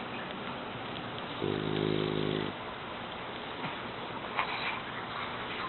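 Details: French Bulldog, an eight-month-old male, asleep indoors; a single rattling, buzzy snore of about a second, followed by quiet steady hiss and a few faint soft clicks.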